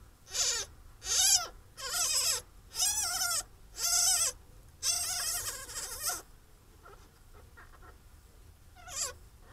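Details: Captive-bred European pine marten kits in their first week after birth give a run of thin, wavering, mewing squeals of about half a second each.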